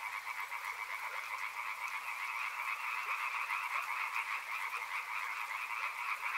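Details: Many frogs calling together near a river, a thick unbroken croaking chorus with rapid pulsing texture, holding an even level across the stretch.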